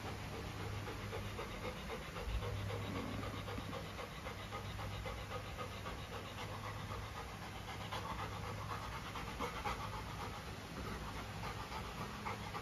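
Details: Luna, a female Golden Retriever, pants with her new carabao horn chew toy; soft, rapid, breathy panting runs steadily at about four breaths a second over a low indoor hum.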